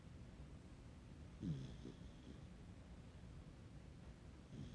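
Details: Puppy snoring in its sleep: one louder low snort midway, a softer follow-up, and a faint third at the end, over constant low background rumble.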